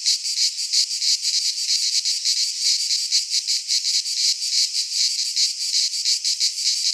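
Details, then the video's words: Greek pine forest in midsummer, cicadas in full chorus; a harsh, shimmering buzz swells and dips in uneven throbs, steady and high, unbroken for the whole stretch with no other sounds. "Cicadas singing in midsummer - Nature sounds from the Greek fauna - Sounds of cicadas"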